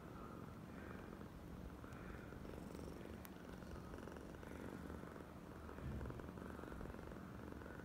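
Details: Oyen, a female domestic cat, in a very affectionate, clingy mood, purring continuously in a low, steady, finely pulsed rumble throughout, with a faint brief click near the middle and soft background hiss.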